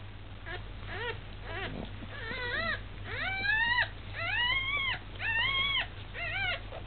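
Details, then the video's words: One-day-old dog puppies with their mother, giving rising-then-falling whining squeals with clear harmonics, about one per second, some longer and arched, over a steady low hum. "Luna with puppies 1 day old"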